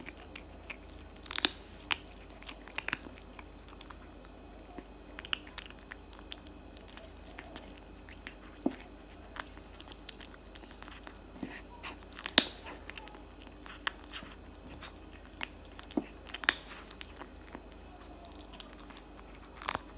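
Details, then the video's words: Tabby cat chewing cat food, its loud eating heard as rapid soft crunches broken by sharper louder bites every second or two, indoors with little else audible. "eating cat food for 5 minutes straight"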